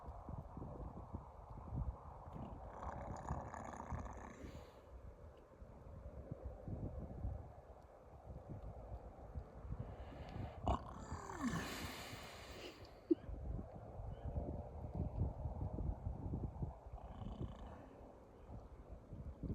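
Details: A muskox in Alaska snores with low, rough breaths that swell into noisy rasps every several seconds.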